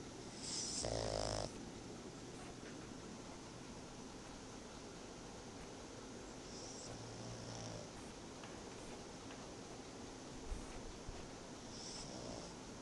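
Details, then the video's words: Tobias the pug takes a nap; one loud rasping snore comes early, followed by fainter, breathy snores spaced several seconds apart against a low steady hum. "Tobias roncando"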